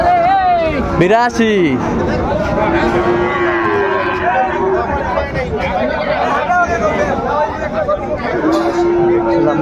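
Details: Sahiwal bull calves at Ambari cattle market in Dinajpur, 28 March, being bought and sold. Low harmonic moos, one arching up and down near the start, with later drawn-out lowing under steady crowd chatter and bargaining voices.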